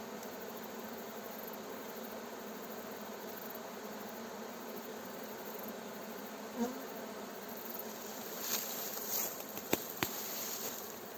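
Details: Swarm of honey bees being coaxed into its hive by a beekeeper: even, dense humming buzz, joined in the last few seconds by several sharp crackles and snaps.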